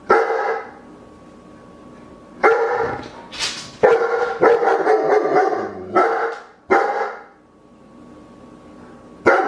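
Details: Loud German shepherd barks come singly and in quick doubles, harsh and broad, with gaps of one to two seconds between groups and a faint steady hum beneath.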